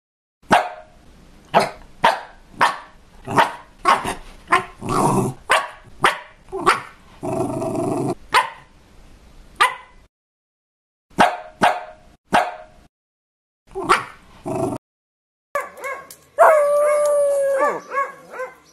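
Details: Miniature Pinscher barking in a rapid series of sharp, separate barks, about a dozen in the first ten seconds, then a few more after a pause, ending in a drawn-out whining howl with rising and falling pitch.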